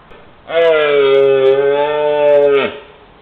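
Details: A red deer stag in the Peak District, bellowing during the mating season and captured on a trail camera, gives a single long, deep bellow that holds steady, then drops away at the end.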